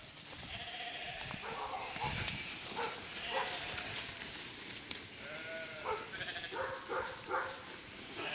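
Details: Sheep from a flock of 1000 being guided over a river by a border collie; short, faint, scattered bleats repeat in the second half through a dense hissing wash of background noise.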